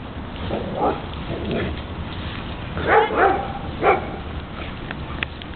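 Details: Two playing dogs, a foster dog and a Basset Hound, one rolling the other over; a few soft whining yips and a short bark-like burst rise near the middle over a low rumbling background.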